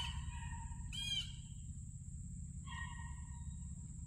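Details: Beagle puppies starting on a trail, outdoors: two drawn-out tonal bays about two seconds apart, the first rising and wavering, over a steady high insect-like whine and low rumbling background.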